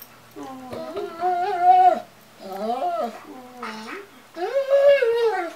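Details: Morning 'talking' from a female White German Shepherd greeting her owner in a small room: three drawn-out, yodelling moans that bend up and down in pitch, each about one and a half seconds long.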